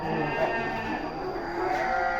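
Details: Sheep bleating: wavering, harmonic bleats, one near the start and another toward the end, half-buried in a steady broadband hiss, with human voices nearby.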